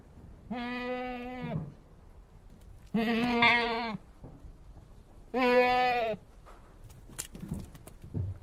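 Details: Goat bleating: three wavering, nasal bleats of about a second each, spaced roughly two seconds apart, with faint rustling between them.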